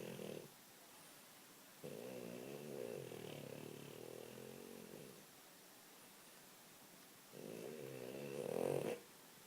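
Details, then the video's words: A French Bulldog snores in long, rattling, low-pitched bursts separated by quiet pauses while dreaming. "French Bulldog Snoring"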